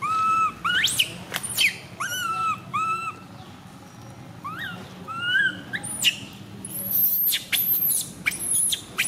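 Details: Female baby monkey MoMo, tiny, crying while falling down: clear rising-then-falling whistled cries in short series, a softer pause, then piercing high screams and squeals tumbling together toward the end.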